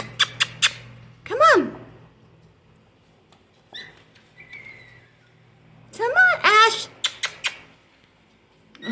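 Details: Five-week-old Golden Retriever puppies from a litter give short, high arching yelps and whines in two bursts, each a cluster of rising-then-falling cries, with sharp clicks at the start and a person speaking softly.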